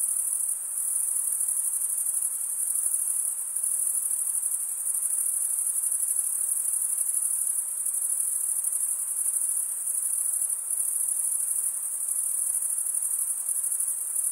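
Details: Crickets, males chirping by stridulation, rubbing one wing over a toothed vein on the other; a steady, shrill high-pitched trill runs without pause throughout, with a faint soft hiss beneath and no other sounds.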